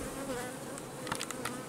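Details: Honey bees at a large apiary, where colonies are kept in hives on six frames full of honey. A dense, steady droning hum fills the clip, with a few short sharper ticks and flicks near the end.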